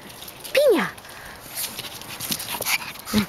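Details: Excited six-year-old long-haired Chihuahua rescued from a puppy mill gives one high, downward-sliding whine, followed by quieter rustling and a short soft squeak at the end.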